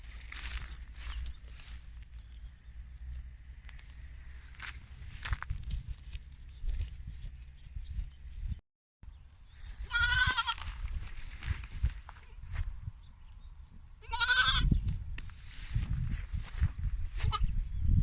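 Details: French Alpine goats in the city of Guercif: two wavering, nasal bleats about four seconds apart in the second half, over steady low rumbling wind or handling noise and faint background voices.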